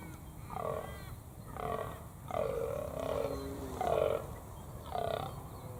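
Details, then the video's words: In Australia one morning, a fallow deer buck on a hill gives deep, hoarse croaking groans in short bursts, calling his does closer, while a nearby hunter croaks back by mouth to draw him in. "as y'all can hear this croaking noise is actually this buck fallow deer calling his girls trying to get them to come a little bit closer"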